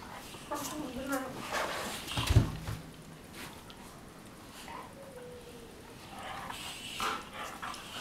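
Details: Two Weimaraner sisters, Jila and Faith, from Cyprus, play fighting on their bed in the morning; low harmonic growling and short whining tones come between soft rustling scuffle bursts, with a faint human voice in the room.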